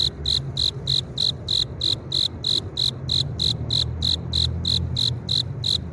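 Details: Male cricket rubbing its forewings together to attract a female, giving a steady series of short, bright, high-pitched chirps about three per second, evenly spaced, over a low background hum.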